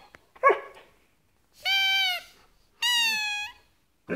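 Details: A year-and-a-half-old Siberian Husky talks to a squeaking toy: after a brief low grunt, two long, level, tonal whining cries of under a second each, rich in overtones, separated by a short pause.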